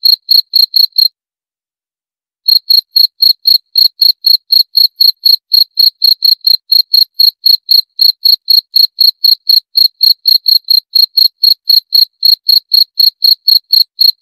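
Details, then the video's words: A few quick high chirps from a cricket, a short silence, then a long unbroken run of sharp pulses at around four per second; nothing else audible. "30 Menit Suara Jangkrik - 30 Minutes Cricket Sound Effect"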